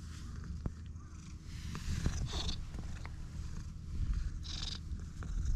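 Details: Stray cat purring from the moment it was first met: a steady, low rumbling purr runs throughout, broken by soft rustling and brushing bursts near the middle and end.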